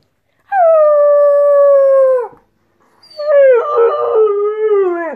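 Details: A Weimaraner puppy gives a long, steady howl, then howls again as its mother joins in.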